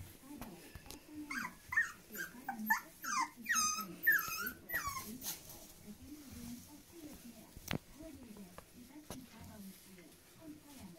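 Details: Thirty-day-old Großspitz (German Spitz) puppies: a burst of squeaky, falling whines and yelps in rapid series over the first five seconds, then quieter; a low human voice murmurs steadily throughout, with a sharp click midway.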